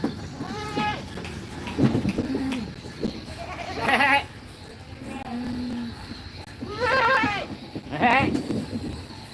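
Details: Goat kids in a goat pen at feeding time give several bleats, each a nasal, trembling cry of about a second, some rising and wavering in pitch, with human speech and low murmur between calls.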